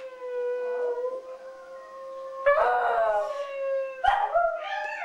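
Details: Indoor howling from a West Highland White Terrier: one long, steady, even-pitched howl, then a rougher, wavering howl that rises. A brief, sharper howl follows at the end.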